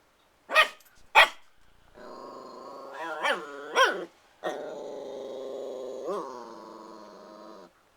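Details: Christian, a new puppy acting crazy, protective and wanting to play with the cats, gives two sharp yaps followed by a sustained throaty growl broken by short rising barks.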